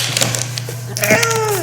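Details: Seven-year-old male rescue cat, indoors, making his unusual noise that he produces only with one particular toy: a drawn-out, tonal call sliding downward in pitch during the second half, preceded by faint rustles, over a steady low electrical hum.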